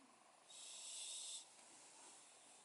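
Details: Sleeping cat giving a single snore, a soft airy hiss with a thin whistled edge lasting about one second, followed by gentle, quieter breathing in a still indoor setting.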